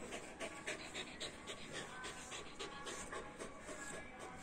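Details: Whippet reunited with its owner after ten days, breathing in fast, steady pants about four a second over a noisy, hissing background.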